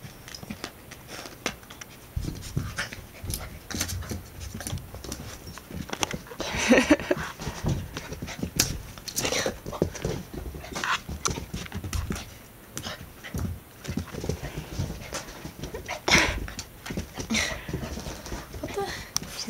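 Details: Golden retriever Labrador mix puppy, female, playing with her own reflection in a mirror indoors: steady rapid panting and snuffling with scuffling movement noises, a woman's voice speaking softly now and then.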